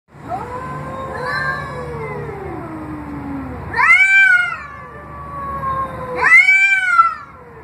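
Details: Domestic cats meowing at a door give repeated long, drawn-out, wavering cries that rise and then fall.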